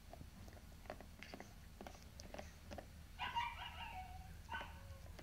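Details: Pomsky named Rusty, indoors, gives two short harmonic whining vocalizations, the first wavering and falling, the second briefer with a drawn-out tail, over soft clicks and low room rumble.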